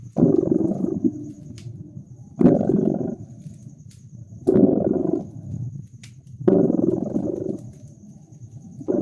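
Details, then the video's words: Cat purring near a crackling winter fireplace: a low, grainy rumble that alternates between five louder bursts, repeated about every two seconds, and quieter stretches. Sharp little fire crackles and a faint constant high hum run underneath. "Relax with Purring Cat"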